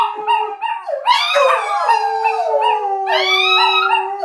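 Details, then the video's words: Chihuahuas rooing together with greyhounds indoors; a steady lower howl held beneath higher quavering, rising wails from other dogs, voices overlapping in a continuous chorus. "Chihuahuas Roo with Greyhounds"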